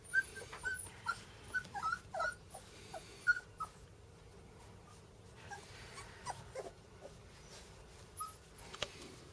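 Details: A female Golden Retriever puppy gives short, high whimpers and squeaky yips in quick bursts.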